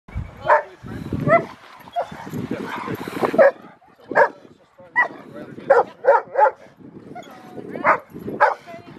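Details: Rottweiler named Freya vh Odoms, female, during training at the Victoria Rottweiler Club in Australia on February 15, 2020; a string of short sharp barks at irregular intervals, some doubled, with a voice talking in the background.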